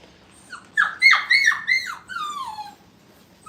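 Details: Five-week-old Brittany puppies in a kennel playpen for the first time: a quick burst of high, piercing whimpers, each sliding downward, several overlapping, then one longer falling whine before quiet.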